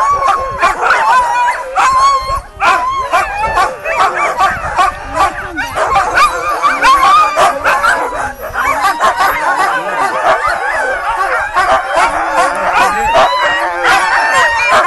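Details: Many sled dogs at Gunflint Lodge in 2012, going crazy with excitement before pulling a sled through the woods, bark, yip and howl together in a continuous dense chorus, overlapping voices with no pauses throughout.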